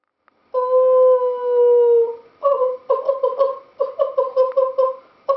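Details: A West Highland White Terrier, seemingly trying to sing a duet, howls: one long, steady, slowly falling note, then a string of short wavering yips.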